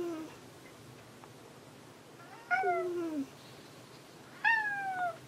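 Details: Cat Hanu hunting for Monaka indoors: long, falling meows, a low one and then two higher, drawn-out calls about two seconds apart, over a faint background hum.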